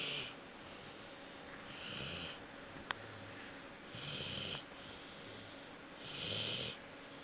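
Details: Labrador Retriever puppy aged four months asleep, giving soft uneven snores about every two seconds, faint rasping breaths with one sharp click midway, in a quiet room.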